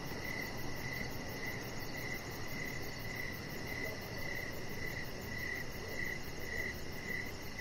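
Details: Outdoor evening chorus of crickets near a deck: regular bright chirps recurring around every half second, softly varying in strength, above a continuous deep background rumble.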